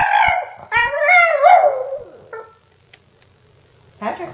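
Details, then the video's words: Small female Boston Terrier screeching in longing at the mention of an absent man's name, giving quavering, harmonic howls that rise and fall for two seconds before fading, then a woman speaking. "Boston Terrier Screeching for Patrick"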